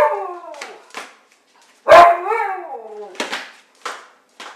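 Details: Playful Siberian Husky lets out a sliding, wavering howl-like moan that starts high and falls, preceded and followed by short yelping barks in a small indoor space.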